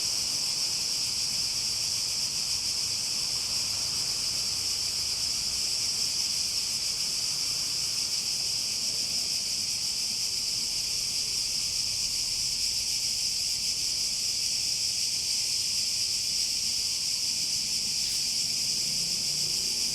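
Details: Cicadas in a steady, unbroken high-pitched chorus that holds an even shrill whine from start to finish, with a faint low rumble beneath.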